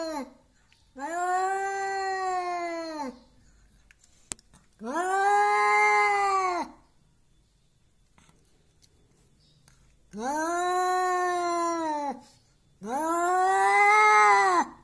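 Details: An aggressive domestic cat, said to pick fights and try to intimidate, gives long arched yowls of about two seconds each, four in a row with silent pauses between, rich in harmonics.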